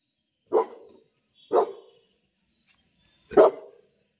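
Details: Pet dog barking as a person coaxes it to look at who has come: three short, deep, gruff barks spaced about a second or more apart, with silence between them.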